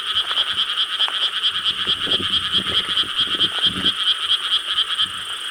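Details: Frogs in a dense night chorus in rice paddies of Korea, recorded on 4 July 2013: continuous overlapping croaks pulsing about twice a second, with a steady high band and a few low thumps underneath.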